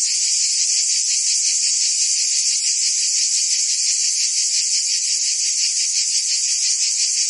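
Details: Cicadas in full summer chorus in Provence, France, a piercing high-pitched whirr that throbs quickly and continuously, steady and loud, with no birds or voices heard.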